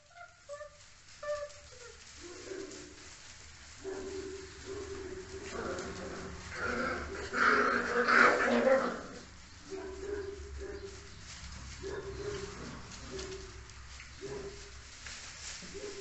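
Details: Spanish Mastiff puppies, recorded in 2023, give short, high yelping barks repeated roughly every second, with a few thin whines early on.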